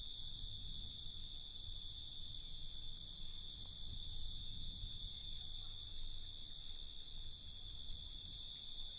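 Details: Night crickets in a continuous high, ringing trill with fast, uneven pulsing that grows louder halfway through, over a quiet low background rumble.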